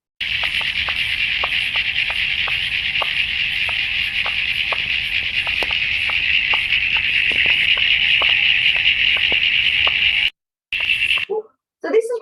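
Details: In Australia, Common Eastern Froglets, tiny 2 cm frogs camouflaged in grass, chorus with dense, high chirping while another frog clicks steadily about once a second; Common Eastern Froglet.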